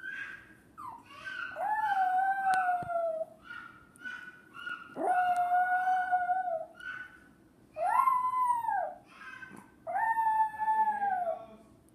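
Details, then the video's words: Pet dog crying in response to a young boy making a crying-like noise. Long, wavering, mournful howls that slide downward, with higher whimpering notes between them. Bouts repeat roughly every three seconds against a steady low hum. "Dog crying for baby"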